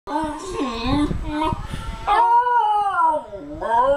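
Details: Basenji dog singing: wavering, yodel-like harmonic tones that rise and fall in pitch, with a short broken phrase followed by a longer sustained note sliding downward.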